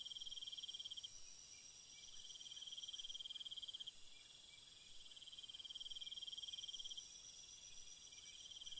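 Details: Crickets at night in a calm ambient setting: a steady high pulsed trilling in long bursts with short pauses, several insects overlapping, plus a fainter very high continuous hiss of other callers.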